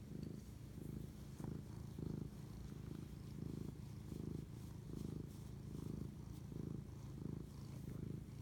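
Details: Purring cat at 11:07 pm, March 25, 2019, during bonding; a rich low rumble beating in steady breath cycles about every 0.7 seconds, close and unbroken, with faint crackles overhead.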